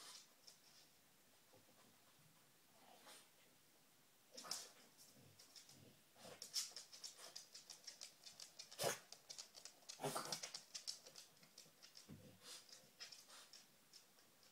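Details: Quiet room at first, then a female dog searching for treats starts sniffing hard, with dense runs of short hissy inhalations and snorts that grow busier toward the end.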